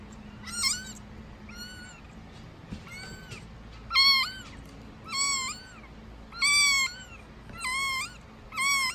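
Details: Kitten just over a week old calling before being fed milk in 2019; sparse, high-pitched meows with arching pitch, some soft and some loud, separated by gaps of one to two seconds, quiet background.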